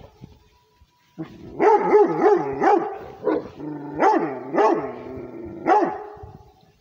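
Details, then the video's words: A Rhodesian Ridgeback barks for its territory, giving after a second of near silence a quick string of about eight sharp, deep barks, some doubled, with faint growly tones between them. "Rhodesian ridgeback barking for the territory"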